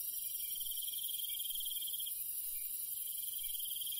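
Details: Countryside crickets calling at night: a thick, even chorus of high ringing tones with a rapid pulsing trill running for two seconds, then resuming after a short gap, faint low crackle underneath.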